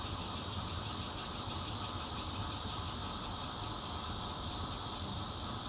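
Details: Bear cicada chorus recorded with a Nokia Lumia 820 from a fourth-floor home in Zhongli, Taiwan, on 16 June 2013. A steady, loud buzzing drone carries a high pulsed throb repeating about three times per second.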